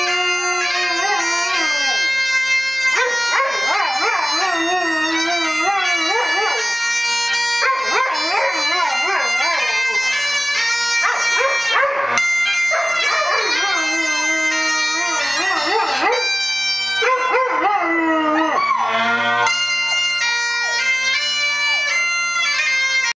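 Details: Weimaraner named Luna singing with bagpipes, her repeated wavering howls rising and falling in bursts of a few seconds each, woven through loud, constant pipe drones and a bright chanter tune.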